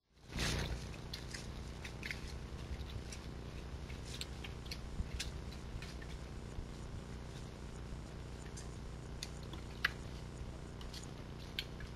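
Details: A low steady rumble fills the background, broken by scattered soft clicks and crunches that may be chewing or footsteps. No animal calls are heard.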